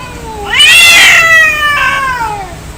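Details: Angry cat in a fight gives a loud rising yowl that swells into a harsh, strained wail, then a second, softer wavering howl that slowly falls away.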